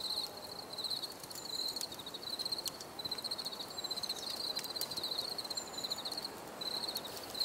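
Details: Chirping cricket outdoors, pulsed high trills in bursts of about a second separated by short pauses, over a soft hiss with occasional clicks.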